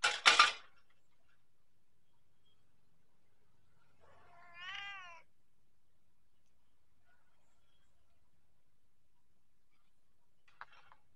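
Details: Persian cat giving a single short, wavering meow with a slight rise and fall in the middle of an otherwise quiet indoor stretch, preceded by a sharp knock at the start and followed by a faint brief squeak near the end.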